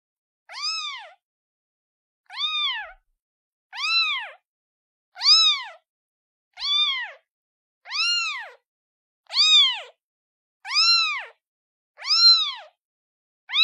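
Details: Cute kitten calling its mother: ten clear high meows, each rising then falling in an arched contour, spaced about every one and a half seconds against a silent background.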